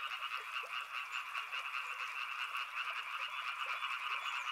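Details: Many frogs croak at once beside a river, a buzzing, rapidly pulsing chorus in two mid-pitched layers, steady and unbroken throughout.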